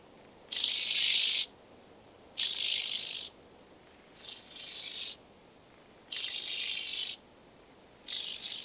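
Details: Speckled buzzing grasshopper (Bryodemella tuberculata) at Vorderriss, Germany, 11 August 2022; broadband rasping bursts of about one second, spaced irregularly with short gaps, one weaker double burst midway.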